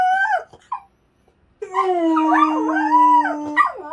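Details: A young, unneutered large male dog whines briefly, then breaks into a long, sustained howl that wavers and bends in pitch. He is plaintively calling for a female in heat that has been kept apart from him.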